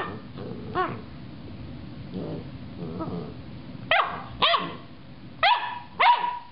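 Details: Loki the dog, facing the top of a carrot: softer grumbling sounds at first, then four sharp, ringing barks in two pairs over the last three seconds, each one short and harmonic-rich.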